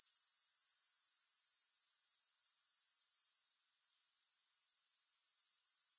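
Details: Grasshopper sound with no music added: a loud, high, rapidly pulsing insect buzz holds for three and a half seconds, then drops away to a much fainter, wavering trill for the rest.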